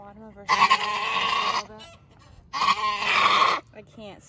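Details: Two long, strained, rasping bleats of about a second each from Maggie, a first-time Nigerian Dwarf doe kidding twins in Northern California, with a woman's murmured voice before and between the cries.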